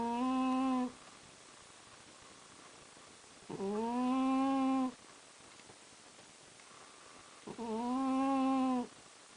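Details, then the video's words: Pet cat asleep and snoring: three voiced, droning breaths, each held about a second, steady in pitch with rich overtones, separated by quiet pauses of two to three seconds. "猫のいびき...(Cat's snore)"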